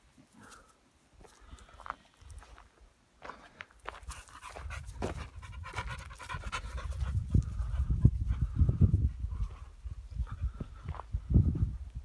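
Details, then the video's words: An American Staffordshire terrier running happily by a river pants rapidly and unevenly, with quick breathy bursts building in loudness over about twelve seconds, among low rumbling outdoor noise and a man's voice just before. "Wesoły Amstaff biega nad rzeką"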